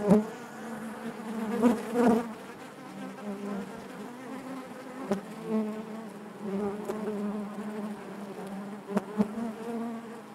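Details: Honey bees buzzing within their hive: a loud, wavering hum, stronger bursts near the start, then a steady droning buzz with a few short clicks.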